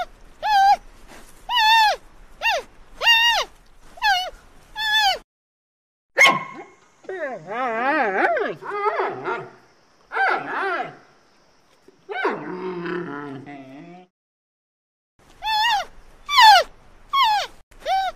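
An Asian palm civet gives a series of short, high, whining yelps, each a clipped rising-and-falling squeal.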